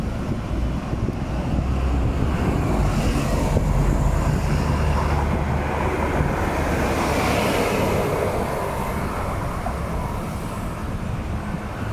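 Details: Only steady wind buffeting and a low, rumbling vehicle-like roar are heard, with no animal calls.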